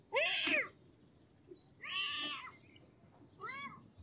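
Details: Kitten giving three meows over four seconds: a loud, strained first cry, a longer harsher second one, then a softer, shorter arched mew, with faint background hiss between calls.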